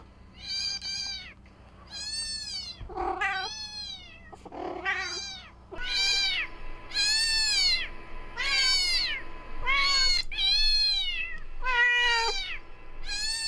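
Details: Pet cat reacting to a sound played to lure cats: a rapid string of about thirteen high, arching meows, close to one per second, with a couple of rougher, lower calls early on.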